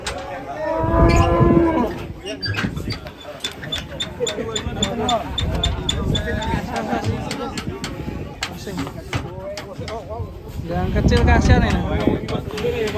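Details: Fat, raging cow giving a loud, low drawn-out moo with stacked harmonics near the start, followed by a busy mix of clicks, voices and rustling around the animal.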